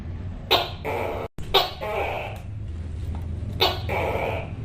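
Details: Tokay gecko (Gekko gecko), call.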